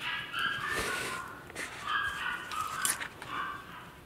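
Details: Maltese puppy stuck in a basket, uttering thin, high whining whimpers in quick succession, quiet room tone behind.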